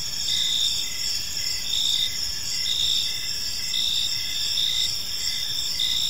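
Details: Evening in a serene park filled with gentle cricket chirping: overlapping high, thin trills repeating in regular pulses, several insects calling at once, with a faint low rumble of ambient noise beneath.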